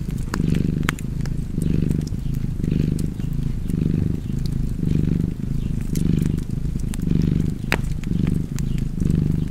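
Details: Steady cat purr in front of a fireplace, rhythmic low rumbling inhale-exhale cycles about once a second, with frequent crisp crackles of burning logs throughout.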